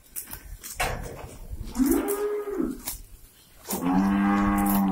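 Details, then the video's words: Cows on a breeding farm, let out to graze in the morning and content with the grass, give two moos: a short harmonic low call near two seconds, then a longer steady moo from about 3.7 seconds, with clicks and rustling around them. "Cows Grazing | Cow mooing | Cow sound"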